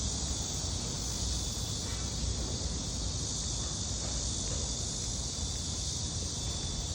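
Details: Crickets in an apartment garden keep up a steady, high, shimmering trill over a low background rumble.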